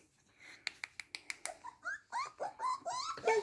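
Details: Female blue sable Whippet indoors: a quick series of soft clicks, then a string of high, thin whines that bend up and down, growing louder toward the end.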